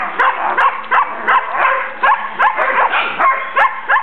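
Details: Collies playing with their puppies in a backyard just before the puppies went to new homes: the mother Tesla, the father Braedyn and the vocal Tennyson. Sharp barks repeat roughly every half second in a steady run of rough, mid-pitched yelps.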